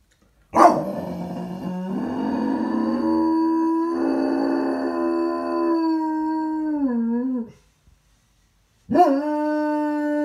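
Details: After dropping his toy, Miller the dog lets out a sharp onset into a sustained, steady howl that wavers and drops at its end, then starts a second howl after a short silence.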